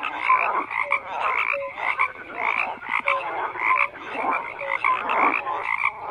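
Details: A chorus of many frogs, croaking in overlapping bursts that swell and fade roughly every second, with short tonal notes poking through the rough, rasping calls.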